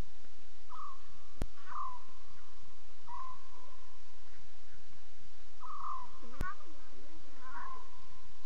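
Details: Lion cubs calling at night, around 2:40 a.m.: a series of drawn-out, level, moaning tones, each under a second long, repeated several times with short gaps, plus two sharp clicks.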